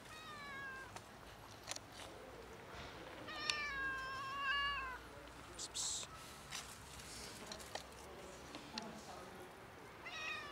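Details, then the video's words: Ginger cat that came out of bushes, meowing for food like a princess: drawn-out, wavering harmonic meows in the middle, a shorter one near the end, over steady outdoor background hiss with scattered clicks. "Cat came out of bushes meowing for food"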